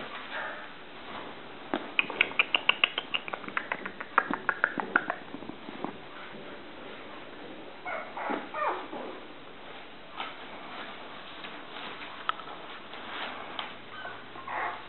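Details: A cream female Toy Poodle puppy in Shiga, Japan, born 1 May 2014 and filmed 17 June 2014, gives a rapid burst of high, clicky yips, then softer whimpers.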